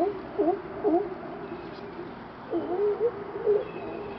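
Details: Several lazy sea lions on a dock in Astoria, Oregon bark together in hoarse, honking, wobbling overlapping bursts, then pause before a second, longer round of barking.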